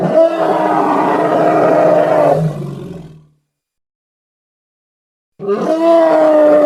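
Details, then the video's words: Loud, harsh elephant roar with a tonal, brassy edge lasting over two seconds, then a long gap of silence, followed by a second rasping blast with a bright sliding tone. "Elephant Sound Effects"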